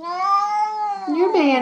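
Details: Mo, a pet cat jealous over a little kitty, utters a short, loud, rich-toned complaining yowl indoors. The pitch drops and bends near the end.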